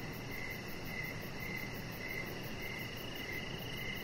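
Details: Evening crickets chirping near a deck where a chihuahua puppy rests; brief bright pulses recur roughly every half second above a thin continuous higher trill and a broad background hiss.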